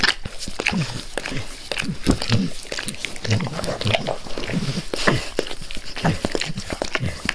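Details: Pet dog eagerly licking its owner's face indoors in a small room: wet, smacking tongue slurps and lip clicks repeating rapidly, with soft low thumps and occasional breathy sounds close to the microphone.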